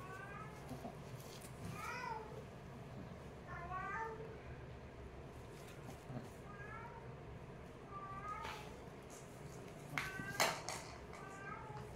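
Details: Play-fighting kittens call repeatedly, sending out a string of brief, bending squeaky meows every second or two, mixed with soft thumps and sharp clicks of scuffling against a low steady hum.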